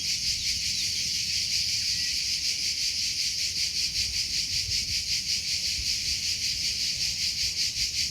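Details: Natural cricket sound: a bright, high-pitched pulsing chirr repeated at an even, rapid rate with no pauses, over a quiet low background hum.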